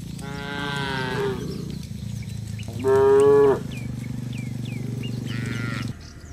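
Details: Herd of tame cows strolling along a rural road back to their shed with a herder, giving three moos: a long lowing call, a louder short one, then a brief third, over steady low hum.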